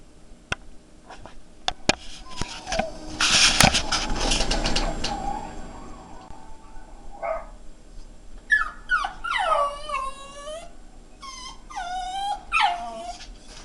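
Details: Pet Jack Russell Terrier indoors, searching for the other dog on screen, which is its own reflection, gives a burst of high, wavering whimpers and yelping whines after clattering handling noise and clicks.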